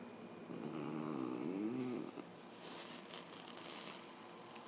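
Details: Female puggle named Bailey, home after her spay surgery, gives a drawn-out low whine with a slight rising and falling bend for about two seconds, then quiet room tone and faint human murmuring.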